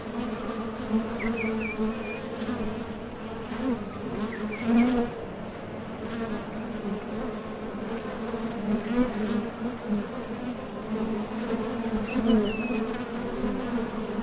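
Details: Honey bees at the entrance of a Top Bar Hive, leaving and landing on trips for nectar: a steady low hum with an overtone above, swelling as individual bees pass close, and faint high bird chirps in the background.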